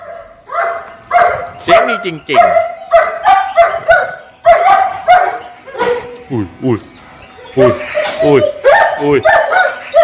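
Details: Rachel, a female German Shepherd at N.T. Ayutthaya Kennel in Thailand, gives a burst of sharp barks and high sweeping yelps, some bunched in quick runs, with short pauses between bursts.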